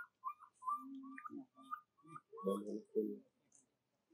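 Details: Baby monkey Jovi crying and calling for her mother Joyce until falling asleep: a run of thin, whistled cries held at one steady pitch with short gaps, then lower, rougher murmuring sounds toward the end.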